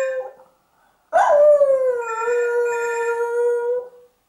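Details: Rescue dog at an animal welfare centre in West Cork, Ireland, howling to alert people to a ringing phone; a brief faint sound, a pause, then one long steady howl that dips slightly and holds level for about three seconds.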